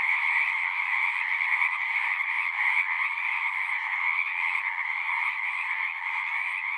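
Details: Many frogs calling at once in natural surroundings, forming a constant shrill trilling drone with a lower pulsing layer beneath; loudness eases slightly toward the end, no birds or people heard.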